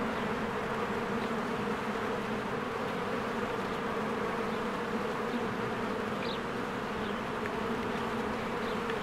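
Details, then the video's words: Honeybees in spring fly in and out of their hive as flowers bloom, making a dense, steady buzzing hum with a strong low drone band. A brief faint high chirp of a bird comes through near the end. "1 Hour of a Beehive ASMR"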